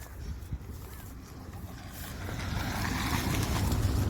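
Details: Steady low engine rumble from a passing vehicle outdoors, growing gradually louder, with a faint voice; no animal calls stand out.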